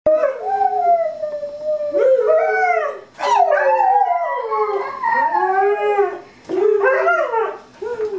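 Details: Pet dog howling along as Happy Birthday is sung to a three-year-old, giving a string of wavering, arching howls that slide up and down in pitch, with short breaths between phrases.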